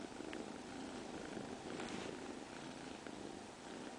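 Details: A continuous purr from the cat Ginechka: an even, grainy throb holding the same level throughout, swelling slightly near the middle.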